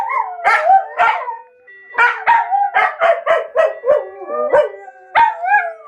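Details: Two pet dogs howling along with a phone alarm ringtone, as they do daily at 13:00. Their wavering, gliding howls rise and fall in repeated bursts, mixed with the steady melodic tones of the ringtone.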